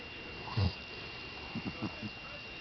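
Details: Sleeping Boston Terrier named Buckeye gives one brief low, rattling snore burst, followed by a few softer, breathy flutters, with a thin constant background hum.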